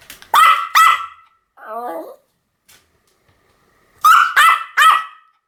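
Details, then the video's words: Shrill Pomeranian barks come in quick pairs and triplets. A brief, lower, wavering whine sits between the bursts, followed by a pause. "犬の鳴き声 ポメラニアン 1000回吠え"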